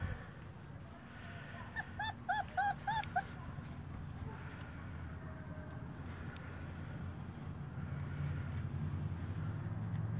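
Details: German Shepherd puppies at four weeks old, with a little runt among them: a quick burst of five or six bright, harmonic whimpers around the second and third seconds, then fainter cries amid rising low rumbling noise.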